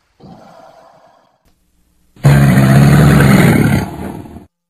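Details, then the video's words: Crocodile, said to be a real recording: after a faint, low murmur comes a powerful, deep, throaty roar with a steady low buzzing tone, held for about two seconds before cutting off. "Suara BUAYA asli"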